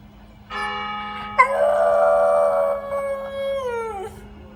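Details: Dog howling at the sound of a church bell: a sustained, rich harmonic howl lasting about three and a half seconds, with a sharp bell-like strike near its start and a falling tail at the end, over a low steady hum.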